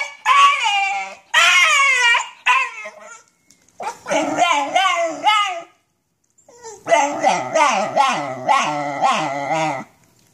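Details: Basenji with nerve root damage howling in pain while walking: a series of wavering, harmonic yodel-like howls in bursts, rising and falling, with short silent gaps between them.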